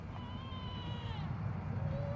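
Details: At Oak Creek Wildlife Refuge, where elk are fed, a cow elk gives a drawn-out, mewing whine that slides slightly downward as she calls for her calf, with bulls nearby.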